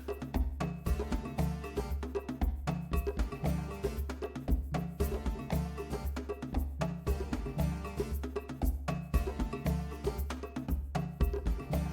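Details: Rhythmic music with deep bass, cowbell and percussion fills the whole recording, with no animal voice anywhere.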